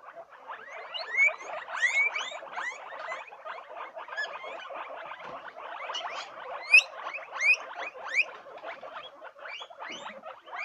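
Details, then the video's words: A group of guinea pigs keeps up a steady chatter of thin, upward-sweeping squeaks and chirps, many voices overlapping, with a few louder shrill wheeks standing out. "Sonido de Cuyes"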